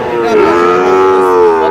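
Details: Sahiwal breed bull calf at the Aftabganj cattle market, Nawabganj, Dinajpur, Bangladesh, on Tuesday 29 July 2026, where calves are being bought; a steady, drawn-out moo with rich harmonics that sags slightly mid-call, with market voices behind.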